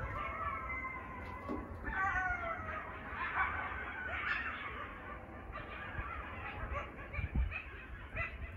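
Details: Coyote pups howl at night in a suburban neighbourhood, high, squealy wavering howls overlapping in a chorus and breaking into quick yips over a low background rumble.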